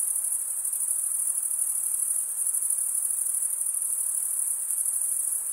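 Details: Chirping crickets, the sound made by scraping a wing across a comb-like row of teeth: an even, sustained high-pitched shimmer with quick faint pulses and a small dip in loudness midway.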